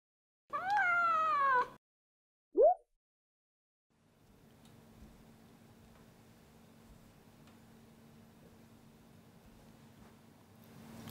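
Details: Munchkin short-legged male cat, white with odd eyes, enjoying a massage: one drawn-out meow with a slight falling sweep lasting about a second, then a brief short chirp, followed by a low steady hum and quiet room noise.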